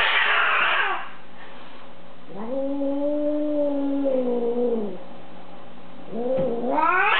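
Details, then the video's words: Hostile female house cat, left with a sitter and hissing and crying at people she dislikes, gives a low droning moan held for about three seconds between two harsher rising yowls at the start and end, indoors. "this cat really hates chris"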